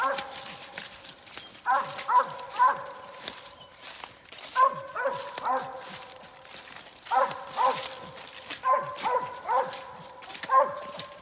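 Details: Squirrel-hunting dog telling on a Mississippi gray squirrel during a hunt: clusters of two to four loud, harmonic barks spaced a few seconds apart, with brief human voices between bursts.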